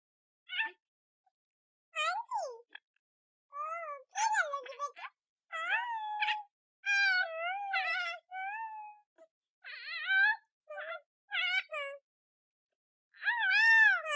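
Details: Kitten giving a series of short, high, sweet meows with wavering, rising and falling tones, some drawn out, separated by brief pauses; repeated about a dozen times, quiet background otherwise.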